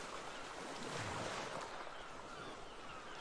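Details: Waves and wind rush over open water, with a low rumble and no animal sounds.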